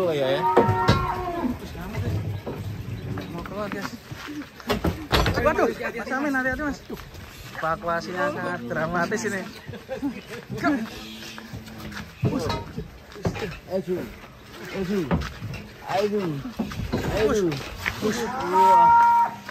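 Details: Giant cow being brought down off a swaying truck lows several times amid loud, overlapping human voices and shouting, with short moos scattered through the noisy unloading scene.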